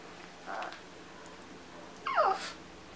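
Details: Gizmo, a small dog dressed in a Santa outfit before a trip to a grocery store, gives one sharp, falling bark after a brief earlier huff; a quiet indoor room otherwise.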